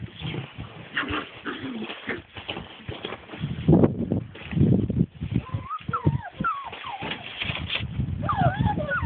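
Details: Rescue puppies seven weeks old romp in a play pen, giving high wavering whimpers and yelps that rise and fall in pitch in the second half, over scuffling, thumping play noise and low murmurs.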